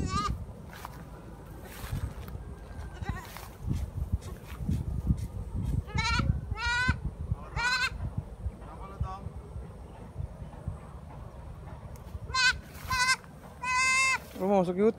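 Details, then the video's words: Goat kid taken along for grass cutting, calling eagerly as though just finding food: several short, quavering bleats scattered through the clip, a cluster near the end, over steady rustling and handling noise. "suara anak kambingnya kaya anak kambing baru ketemu makan"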